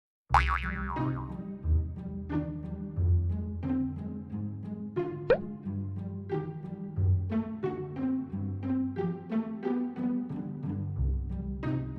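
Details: Playful children's-style music with bouncy boing and plop effects fills the recording, and no animal sound is heard.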